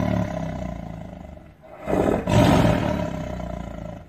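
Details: Tiger (Panthera tigris), roar.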